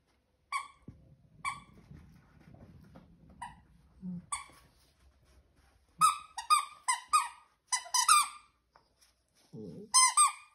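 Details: A 13-week-old corgi puppy playing with a friend on 12 September 2021 gives sharp, high-pitched yips, single at first and then in quick bursts.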